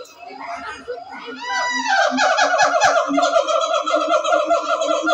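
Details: A siamang at Ragunan Zoo, Jakarta, gives loud, rising hoots that break into a fast run of harsh, barking notes; finding: Siamang.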